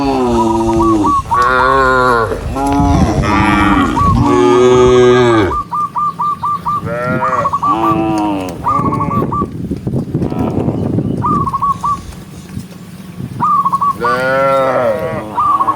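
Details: Gentle cattle herd walking home along a countryside path as the sun sets. Repeated deep, arching moos from several cows, some long and layered, with bursts of brief high hooked notes between calls and a rougher noisy stretch midway.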